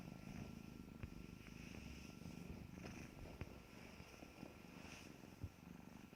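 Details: Kittens at play purring: a steady low rumbling drone runs throughout, broken by soft clicks and taps from their movement, with a faint steady hum in the room.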